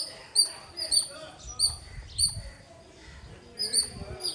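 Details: A squirrel chirps loudly in bursts of high, clipped notes, spaced unevenly with a pause in the middle before the calling resumes, over soft low background noise.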